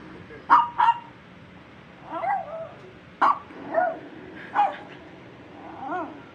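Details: Kingsley, a Shih Tzu reacting to different sounds, gives sharp, short barks mixed with higher, arching whine-like yips.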